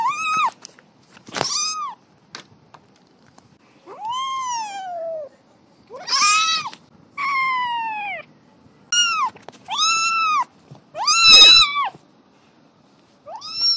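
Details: Kitten playing and meowing repeatedly, bright rising-and-falling meows, some drawn out, others clipped, roughly every second, with sharp clicks and a harsh strained call near the end.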